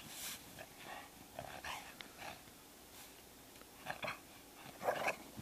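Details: A pair of pet dogs romping in deep snow after a record March snowfall, the black one a chow-rottweiler cross. Short throaty grumbles and huffs come in scattered bursts, loudest near the end.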